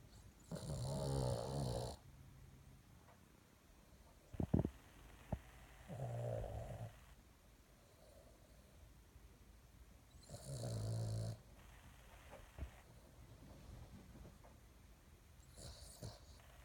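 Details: Sleeping female Boston Terrier snoring loudly, like a man; deep rasping snores in bursts of about one to two seconds, separated by quieter breathing and a few sharp snorts, in a quiet room.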